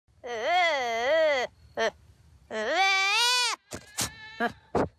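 A young goat gives two long, wavering, human-sounding bleats, followed by a few shorter sounds.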